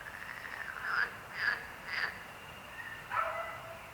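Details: Frogs croaking: a few short, bright croaks close together, then a pause and one more, over a steady background chorus of other frogs.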